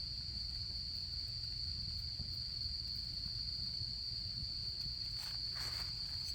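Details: Autumn insect chorus by a campfire: a bright, steady high trill continues without pause over a low fire rumble, with brief rustling or crackling near the end.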